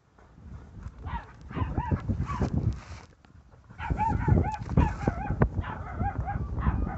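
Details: Adult male and female Labrador Retrievers in Andhra Pradesh; bursts of high, wavering whines and yelps with rising-falling tones, heard through the first three seconds and again from four to seven seconds, over low rumbling background noise.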